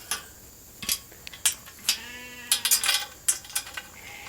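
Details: Hungry sheep flock storming the gate of a holding pen for evening grain at Nature Lane Fiber; a single wavering harmonic bleat in the middle, surrounded by sharp metallic clatter and clicks.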